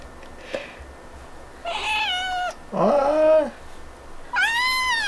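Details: A kitten making happy sounds each time it is touched: three short, bright meows with rich harmonics, the second dipping then rising, the last high and arching, separated by brief pauses in a quiet room.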